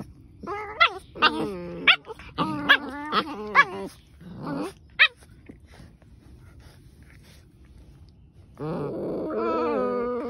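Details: Two German Shepherds fighting: a run of sharp, high yelps and snarls in quick succession over the first five seconds, a quiet pause, then a sustained rough growling snarl to the end.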